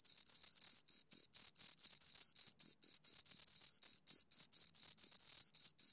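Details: Two crickets give continuous high, ringing chirps, dense pulses packed closely with brief irregular gaps where the pair's rhythms overlap; nothing else audible.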